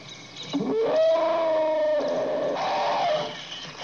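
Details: Elephant trumpeting: one sustained, brassy, harmonic blast that swoops up, holds level for about two seconds and then breaks into a rougher, noisier ending before fading.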